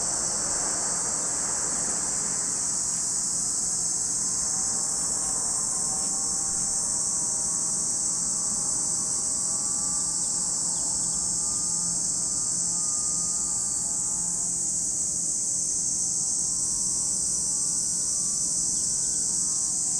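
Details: Cicada chorus at Lake Kamo, Sado City, Niigata Prefecture, Japan: a steady piercing high-pitched hiss that never lets up. Weak wavering low tones, like a distant engine, drift beneath it.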